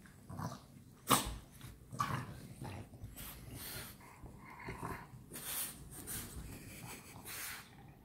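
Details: French Bulldogs playing together at night: rough, throaty growls and snorting bursts at irregular intervals, with sharp broadband scuffling and thumping noises of play throughout.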